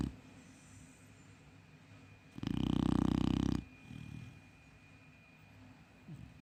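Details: Chow Chow puppy asleep, giving one long, loud, rasping snore of over a second amid soft, low breathing.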